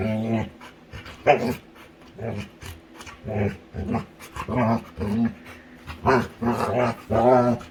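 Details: Female Labrador retriever grumbling while being tickled in play with her owner, giving repeated deep, rounded growl-moans, about one every half second to second, with a person's voice faintly in the background.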